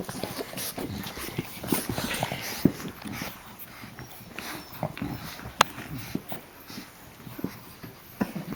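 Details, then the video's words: Playing puppies, Geraldine, Olive and Laverne among them, heard as scattered brief squeaks and whines over steady rustling and sharp knocks, with quiet talk nearby. "Puppies Playing"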